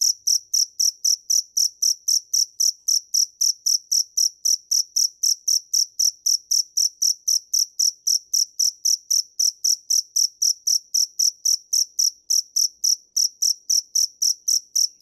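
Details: Dế mèn cricket giving a long, unbroken run of high, ringing chirps, about four per second in a very regular beat. No other noise intrudes.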